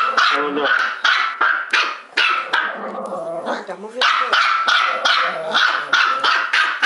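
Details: Two small female dogs, Trixie the Bichon Poo and Sophie the Maltipoo, barking non-stop: fast, shrill yaps tumbling over each other, a short quieter stretch midway with a human voice, then barking surges back nonstop.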